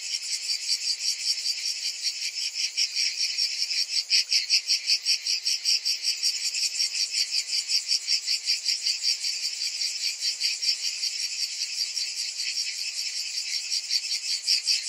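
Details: Summer cicadas keep up a shrill, continuous drone. It throbs in regular waves, and the loudness swells a little around the middle of the stretch.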